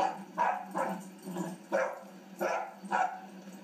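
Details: Three-month-old puppy playing, giving five sharp, high yipping barks spaced about half a second apart, with short pauses between bursts.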